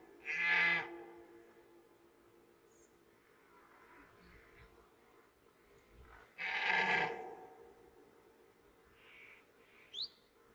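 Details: Red deer roaring during the 2021 rut: two short, hoarse, harmonic-rich bellows about six seconds apart, each under a second long, over a quiet background with a faint brief chirp near the end.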